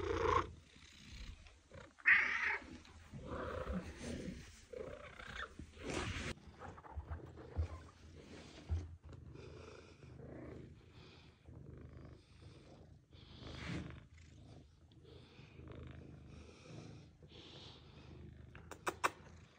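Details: Domestic cat meows meant to attract cats or make them react: a series of nasal, wavering meows of varying length, some loud and sharp, others softer and drawn out, with a low rumbling hum beneath.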